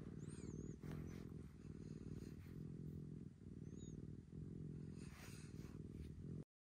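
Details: Maroshiro, a rescued domestic cat in a household of rescued and fostered cats, purrs while craving affection in its own pampering room. Heavy low purring comes in breath-length pulses with faint high squeaks, then cuts to silence at the end.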